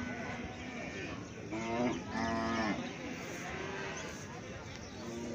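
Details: Baby cow, one of a set of calves, giving a short harmonic moo of about one second near the middle, followed by a second fainter low bellow, over steady background noise.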